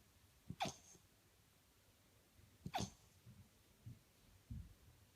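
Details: Poppy, an 8-week-old Golden Retriever puppy, hiccups: sharp, abrupt little clicks roughly two seconds apart, seemingly confusing her.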